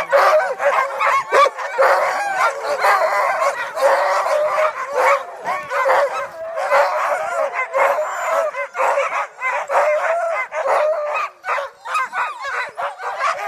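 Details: Group of sled dogs in a continuous chorus of overlapping barks, yips and howl-like whines, dense and excited with no pauses across the stretch.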